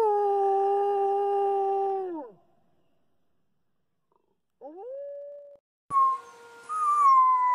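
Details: Pack wolf howls: a clear sustained howl that drops off sharply at the end, silence, a short rising howl, then a higher-pitched wavering howl joined by a noisy burst.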